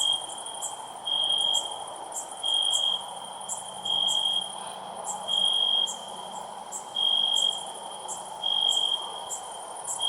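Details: Cricket chirping loudly, bright high trilled bursts lasting under a second and recurring roughly every one and a half seconds, alongside sharper high ticks and a steady continuous insect drone.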